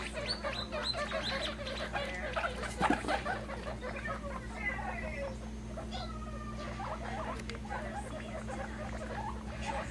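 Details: Young pet guinea pigs squeak while popcorning happily; short pitched squeaks crowd the opening seconds, then a few longer rising wheeks stand out above a constant low droning hum.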